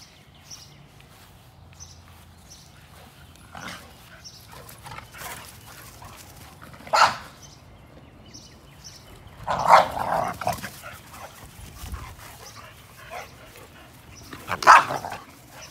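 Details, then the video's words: A 60 lb American Pit Bull Terrier, shown with a 35 lb American Staffordshire Terrier, gives loud single barks spaced several seconds apart, with a double burst near the middle, over faint background noise and soft rustling. "60LB American Pitbull Terrier"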